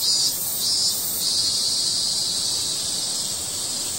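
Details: Shrill, unbroken buzzing of a cicada, with two or three brief louder pulses at the start before settling into an even high hiss.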